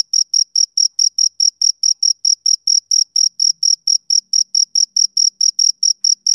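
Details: Summer-evening chirping of a male cricket: shrill, uniform pulses repeated quickly and steadily, several per second, clear and close, with a silent background.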